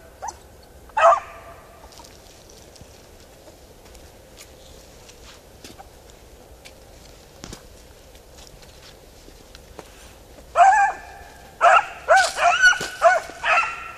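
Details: Beagle Harrier in a plowed field, giving a brief voiced call early on, then a cluster of loud, harmonic, wavering bays near the end, spaced about a second apart, over quiet rural background.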